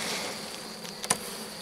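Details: Honey bees in a drone-laying hive during a rescue on 3 May 2021, as a brood frame with its nurse bees is added from the neighbouring hive; a steady, diffuse hum, with a sharp click near the end.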